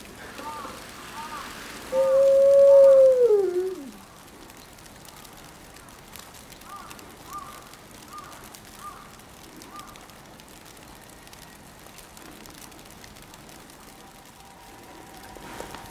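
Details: Kinako, an 11-year-old female gray wolf of the Maruyama Zoo pack, howls alone as heavy snow begins, 22 December 2011, set off by a distant ambulance siren. One loud, steady howl, flat then sliding downward, then faint wavering tones over soft hiss.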